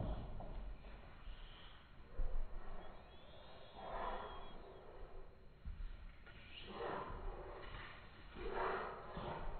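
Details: French Bulldog named Ange playing wildly before bedtime, giving low rough snorts and breathy huffs in bursts around the second, fourth, seventh and ninth seconds, with faint rustling between.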